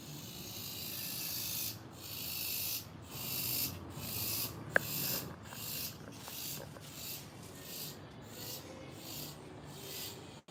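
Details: Several cicadas on a passion fruit leaf buzz in a loud, steady hiss, pulsing in regular bursts about every second; the observer says they may call while mating.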